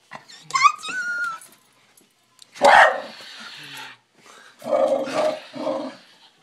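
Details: Indoor pet dog reacting to its own reflection as an intruder: a high whine-like rising sound, then one sharp bark and a sustained growl, with a final pair of growling barks.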